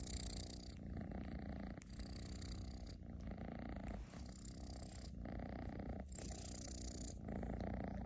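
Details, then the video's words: A house cat snores like a tractor, giving a deep rumbling drone that pulses with its breathing about once a second, close and unbroken, with no other noises. "храпит как трактор"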